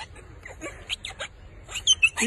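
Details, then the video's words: A female siamang ape, ticklish on the back of her neck, laughs in quick, breathy, squeaky bursts while being tickled, a laugh much like a human's. "These types of apes actually laugh just like we do. She's super ticklish on the back of her neck."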